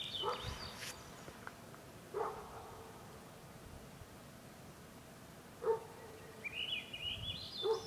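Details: Wolves at the bottom of Grouse Mountain, stirred up by a car alarm, giving short harmonic yelps and bark-like calls a few seconds apart, with a high rising sweep near the end.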